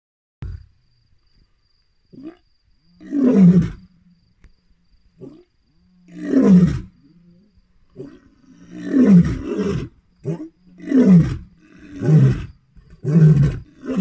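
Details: A lion roars at night near a lodge, deep moaning bellows building into a run of shorter grunting roars.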